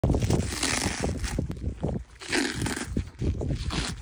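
A donkey chews noisily, with crunchy, grinding bites in uneven bursts.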